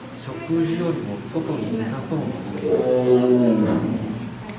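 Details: Amur tiger, also called Siberian tiger, roaring: deep, harmonic, groaning bursts, a shorter one early and a longer, louder one after the midpoint, with a low rumbling undertone throughout.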